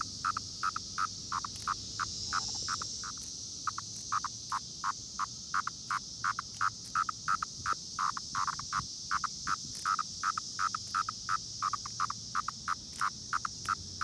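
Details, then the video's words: A Brood X periodical cicada near Princeton Junction, New Jersey, makes a steady high hiss with rapid, repeated buzzy pulses. "Brood X Cicada Sound and Video"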